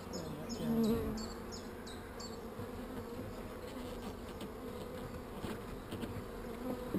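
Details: A low, even hum of honey bees at their hive, opened with a quick burst of high repeated chirps, then steady buzzing with faint clicks of beekeeping work.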